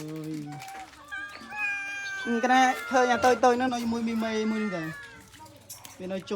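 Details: Abandoned cats, small ones among them, cry in a busy chorus of rising and sliding meows that builds to a dense cluster mid-way, with people speaking in the background.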